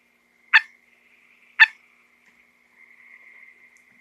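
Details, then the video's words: Strange calls from a small frog indoors, surrounded by curious cats: two abrupt, bright clicking chirps roughly one second apart, then a faint wavering high hum. "Frogs make weird sounds."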